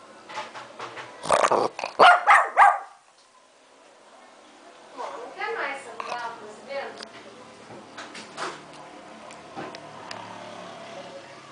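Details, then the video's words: Lhasa Apso barking at the camera: a cluster of loud, sharp barks in quick succession near the start, then quieter stretches with a person talking and low household sounds. "Lhasa Apso Latindo para a Camera"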